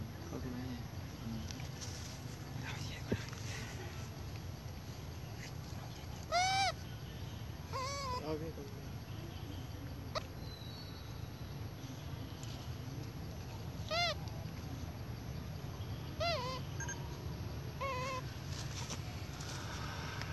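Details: A spoiled baby monkey crying loudly because it needs milk from its mother: short, arched, harmonic wails, some doubled, come at scattered intervals over a steady low rumble of background noise.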